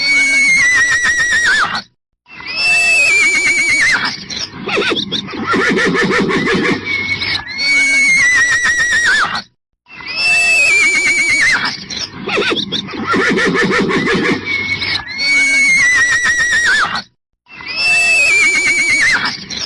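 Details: Repeated horse neighs: piercing, descending squeals followed by a trembling, vibrating whinny lower down, each round separated by a brief pause and recurring roughly every seven to eight seconds.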